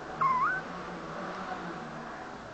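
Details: Pet kitten replies to the person talking to it with a brief meow. The meow falls, then lifts into a quick upward slide, followed by low steady indoor hum.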